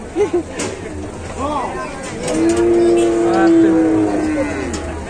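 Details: Cow stuck while stepping down from a truck, reported as sick; one long, steady, level moo of almost two seconds, preceded by short grunting sounds and shuffling noise.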